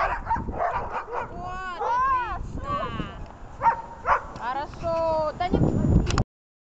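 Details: Dog during attack training for a search: high, wavering whines and yelps rising and falling, broken by short sharp barks, over a person talking throughout.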